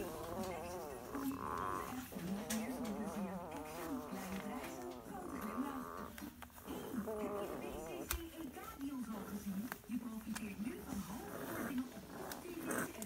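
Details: Weimaraner puppies 11 days old make thin, wavering whines and squeaks, several voices overlapping almost without pause.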